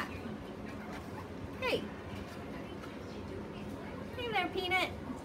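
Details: Peanut, a Chihuahua, "talking": two bursts of high, wavering whine-like yelps with rising and falling harmonic sweeps, one early and a longer warbling pair near the end, over low room noise.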